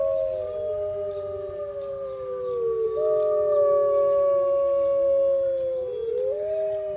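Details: Several wolves at Artis zoo, Amsterdam, on 18 March 2014, howl together in a chorus: long, steady tones slowly bending up or down, overlapping pitches drifting apart and together in a wavering, layered sound.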